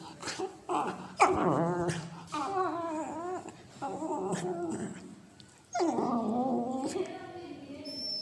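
A Cocker Spaniel puppy makes wavering whines and throaty grumbling noises during play.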